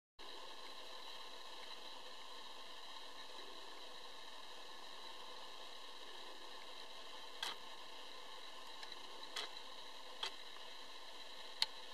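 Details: Steady hiss and electronic tones with several sharp camera-like clicks toward the end, no howling heard.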